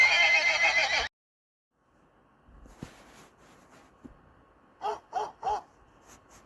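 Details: Horse giving a loud, shrill, quavering neigh of about one second. Quiet follows, then a few soft thuds and three quick, evenly spaced hoof-like clops.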